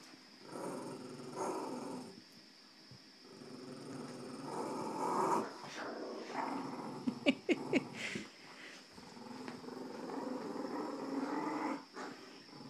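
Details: Puppy and a big dog playing tug of war indoors, rumbling growls rising and falling in bursts through the tussle, with a few sharp thumps and a woman's voice cheering them on.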